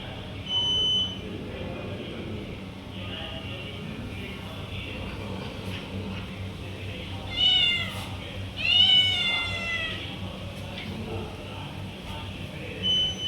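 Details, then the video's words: Stray cats lured with food by a repeated 'chu chu chu' call; after a quiet stretch, two close, wavering meows sweep down in pitch, with faint chirps and a low background hum. "Calling Stray Cats by Making Sound Chu Chu Chu"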